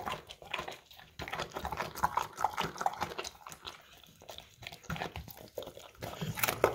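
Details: English Cream Golden Retriever at a bowl of crunchy carrots, with softer wet chewing and scattered crunches, plus a few faint thin squeaky notes.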